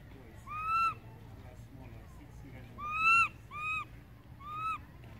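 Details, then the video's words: ['Baby monkey crying loudly for its absent mother: five ringing, slightly arched tonal cries, each about a third to half a second long, coming at irregular intervals, some in quick pairs, over a faint background hum.'] "baby monkey calling mom"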